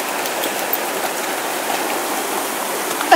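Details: Steady rushing roar of a waterfall fills the whole stretch, with a brief louder knock at the very end.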